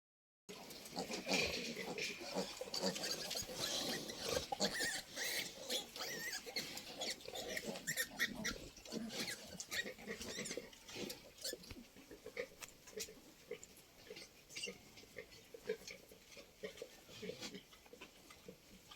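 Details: Pigs on a Santali farmer's pig farm, heard as a dense run of rough, noisy grunts and snorts, about two a second, over steady background hiss.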